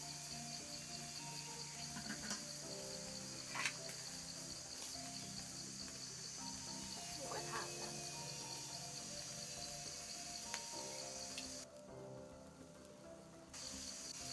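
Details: Cicadas drone in a steady high-pitched whine amid nature during an outdoor mookata pork barbecue meal. The buzz runs unbroken, drops out briefly near the end, then returns, over soft background music and faint clicks.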